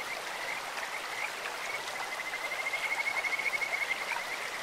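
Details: A single Kajika frog trill from a clear stream: scattered high chirps, then a fast, slightly rising pulsed whistle lasting about one and a half seconds, over steady flowing water.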